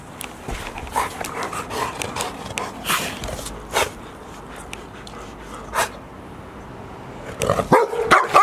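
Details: Two one-year-old Golden Retriever siblings, Asahi (male) and Chiwa (female), play together at Ain Village on 4 May 2019 while a third sibling, Roa, watches. Short broadband scuffles, yips and soft whimpers come in uneven bursts, with louder rustling near the end.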